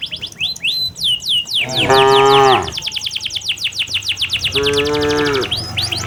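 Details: Two drawn-out moos from cattle heading back to their pen in the late afternoon with their herdsman, the first louder, the second softer and steady, against a constant chorus of chirping village birds.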